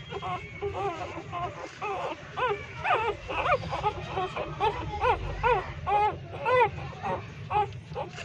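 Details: Hungry three-day-old newborn puppies nursing from a street mother dog inside a pipe make a run of arched, whiny squeals, about two per second, each a brief rise and fall, loud and insistent over low background rumble.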